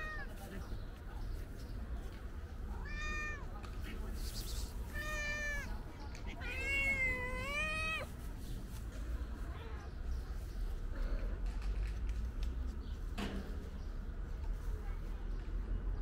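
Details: Calico cat meowing loudly, as if wanting to tell something: a few drawn-out harmonic meows around three to eight seconds, the longest wavering and loudest, then quieter faint calls over steady low background rumble.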